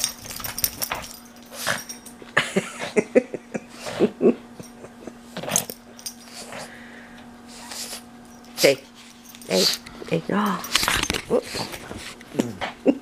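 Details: Indoor pug savaging plush toys, producing many short snorts, wheezy grunts and rough growls in quick irregular clusters, with a continuous low hum and occasional voice behind.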